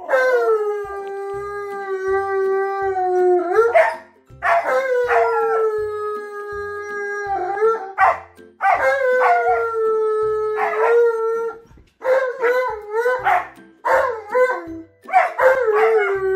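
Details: Two dogs, Tonka the Malamute and Monroe the Husky, howl along in response to a sung good morning song: drawn-out falling howls several seconds long, then shorter broken yips and wavering howls toward the end.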